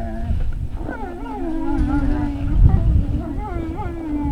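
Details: Several Great Dane puppies at Puppy Hill on 3 May 2019 give drawn-out, quavering howl-like whines that hold a steady pitch before wobbling, over a background of low rumbling noise.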